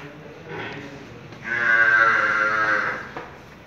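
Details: Pure Murrah buffalo giving a drawn-out moo of about one and a half seconds, a rich harmonic tone holding steady and then fading, preceded by a fainter short lowing sound, over low background noise.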